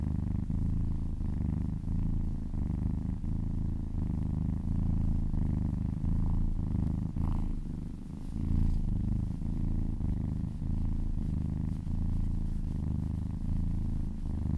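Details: Purring kitten while being massaged: a steady, deep, rumbling purr running unbroken through the recording, with faint soft rustles and a brief dip in loudness near the middle.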